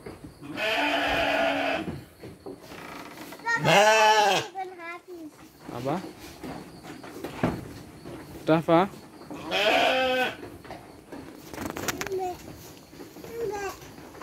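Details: Livestock sheep fed dry fodder alongside children: repeated tremulous bleats, two especially loud and wobbling, interleaved with children and adults talking and a background insect drone.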